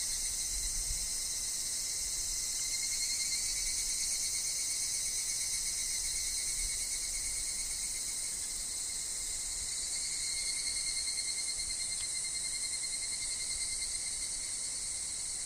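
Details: A woodland filled with higurashi, the evening cicada. Their bright, high chorus runs continuously, loudest near the start and fading a little later, above a steady thin tone and a quiet low background.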